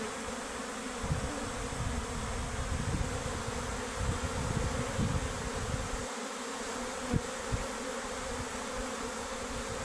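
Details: Hive of honey bees, workers departing: dense constant buzzing of many bees, with heavy low-frequency rumbles and handling knocks, a short quieter gap near six seconds and a sharp tap after seven.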